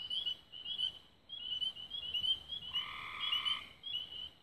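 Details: Singing frogs at dusk, Raven Rocks, Belmont County, Ohio, 24 May 2016: a rapid stream of high chirped trills, joined near the middle by one longer, harsh buzzy call under a second long.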